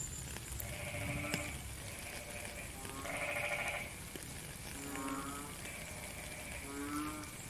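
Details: Rain-time frog chorus: higher, drawn-out buzzy trills dominate, with occasional lower pulsed croaks mixed in, all over a constant rain hiss.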